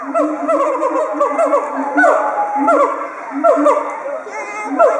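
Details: Two excited siamangs with inflated throat sacs calling loudly together at Chiba Zoological Park, Japan, October 2013, as a threat toward intruders; rapid repeated hooting barks with rising and falling whoops, schoolchildren on an excursion noisy nearby.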